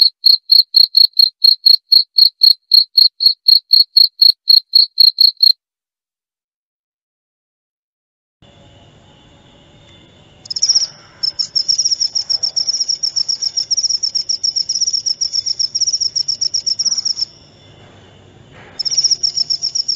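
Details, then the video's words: Cricket chirps repeat rapidly at a high pitch for five seconds, then a pause; afterwards a higher, denser insect trill comes in bursts over a low background hum. "Suara Jangkrik"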